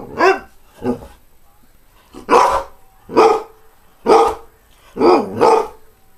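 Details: A greyhound barks repeatedly, six throaty harmonic barks in about six seconds, two of them quick doubled yelps, over a low background hiss.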